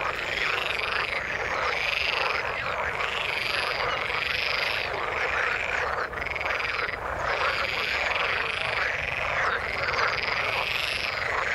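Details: In the water, a frog chorus mixes low-mid croaking with a bright, sustained high trill layer that swells and fades every second or two, steady and dense throughout.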